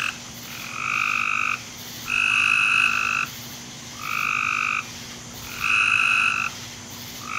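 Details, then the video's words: Backyard frog chorus at night, 10:45 pm, July 24, 2017: a continuous run of steady, tonal calls about a second each, with nearer and farther callers trading turns and almost no gaps between calls; faint low hum beneath. "Backyard Frog Sounds"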